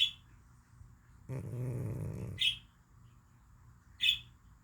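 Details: Deeply sleeping cat: a high squeak, then a rough low snore lasting about a second, ending in another sharp squeak, with one more squeak after a quiet stretch.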